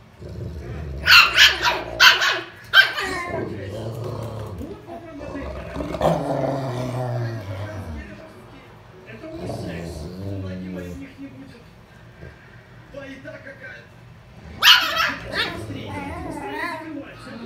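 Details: During a squabble between a Griffon and a Rottweiler, a burst of quick, harsh barks opens the clip. Low growling and a person's talking follow, then another sharp bark cluster comes near the end.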